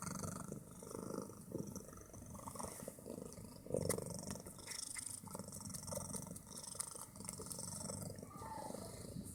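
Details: Fat female house cat purring very loudly, a low, rough, continuous rumble with fast pulsing throughout, swelling slightly near the middle, plus a few soft clicks and rustles in a quiet indoor room.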